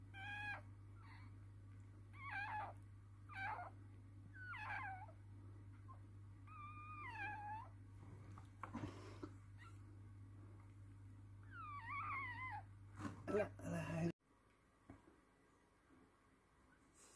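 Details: Toy Poodle birth of three female puppies at home, with piercing, wavering squeals coming in bursts every second or so over a constant low hum, ending in sudden quiet.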